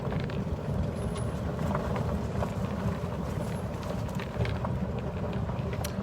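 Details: Steady low rumbling vehicle-like noise with scattered clicks and knocks, no animal voice heard.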